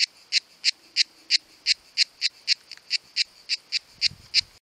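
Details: Singing cicada in summertime, one of two filmed, with tymbal-produced sound: about fourteen crisp rasping pulses, roughly three per second, closing with a brief low thump before the sound cuts off.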